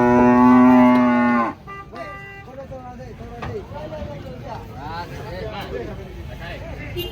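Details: Thin cattle, too weak to stand, being unloaded from a truck: one loud, steady, deep moo lasting about a second and a half, then it cuts off to people talking over a low engine hum.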